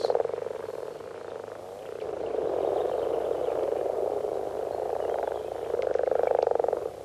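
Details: Male common frogs, which have an internal vocal sac and so only growl, give a low, soft, purring chorus call in shallow, plant-grown water near the shore at peak breeding time.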